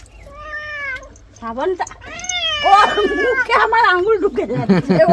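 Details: Domestic cat being given a bath, letting out loud, drawn-out meows that bend up and down in pitch, several in quick succession and growing more strained and wavering, with a human voice mixed in toward the end.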